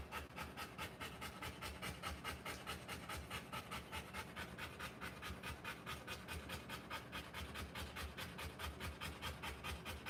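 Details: Giving birth to puppies, a Rottweiler pants steadily throughout, with even, raspy breaths at roughly two and a half per second and no other clear sounds.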